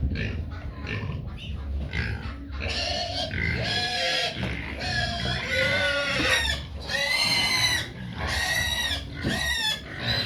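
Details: Hungry pigs noisy for their feed: after short grunty bursts, long shrill harmonic squeals rise and fall, several overlapping, repeated roughly every second over a constant low farm rumble.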